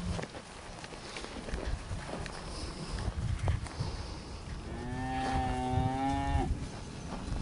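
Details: Hereford in the breeding pasture during summer 2015, herd bull Ribstone 171A: after quiet field noise and rustle, a single sustained nasal moo swells and holds for about two seconds.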